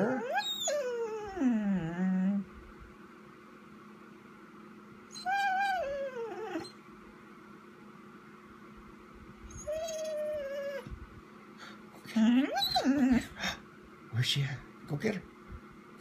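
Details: Pet Vizsla, Chica, indoors on 12/18/14, waiting for its owner to come inside: a series of drawn-out whines and howl-like cries, some falling sharply in pitch, separated by quiet gaps, with brief human talk near the end.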